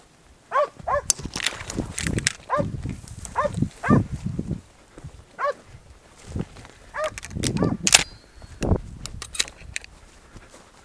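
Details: Podenco hunting dog in Spanish ravine country, baying a wild boar bedded in its lair during a hunt; repeated short, ringing, arched barks in irregular bursts, with rustling, footsteps and brief human voices nearby.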